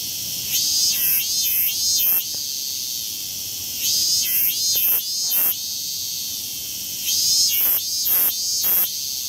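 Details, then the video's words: Cicadas in a Tokyo wooded temple or shrine area, Japan: high shrill buzz with bursts of rasping, sweeping phrases in groups of three, the groups recurring about every three seconds over a constant background drone. "Tokyo Cicadas: Beautiful, Noisy Bug(gers)"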